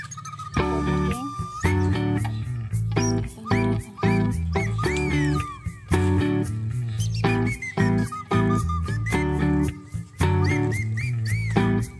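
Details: Plucked guitar music with sliding notes and strummed chords fills the whole stretch, with no animal sound heard.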